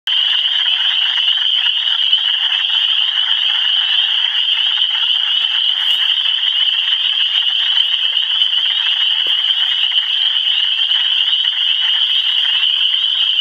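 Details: Frogs calling in Michigan, a dense unbroken chorus of many high, shrill overlapping calls that merge into a steady ringing wall of sound with no gaps.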